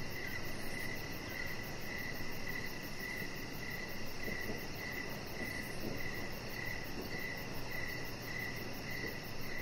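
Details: Outdoors on a deck at evening, crickets give bright, regular chirps about every half second, backed by a rapid high-pitched pulsing and a continuous low, rumbling ambience.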